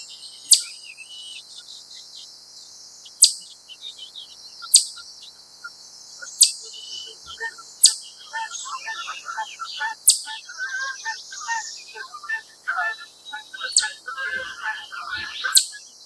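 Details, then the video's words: A wild chipmunk, standing up, sends out repeated sharp, high chip calls. The gaps shorten as it goes, so the calls come faster. Busy bird chatter and twittering sound around it. "シマリスの鳴き声 ～Chipmunk's cry～"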